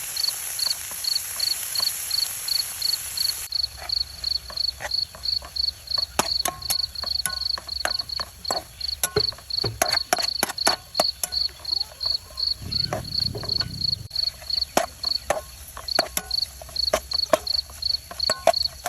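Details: Cricket at a light bulb set out at night to catch crickets: a high, regular chirping pulse runs throughout beneath frequent sharp clicks and knocks, a low rumble and a brief louder hiss at the start.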